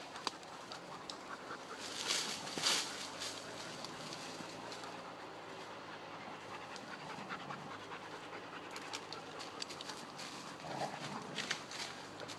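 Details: Breathy, uneven panting from dogs playing around, quick airy huffs broken by louder bursts of scuffling and knocking near the start and again toward the end.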